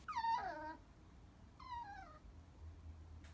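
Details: Chihuahua crying in two falling whimpers, the first short and sharp at the start, a second softer one about a second later, then quiet while a woman coaxes it.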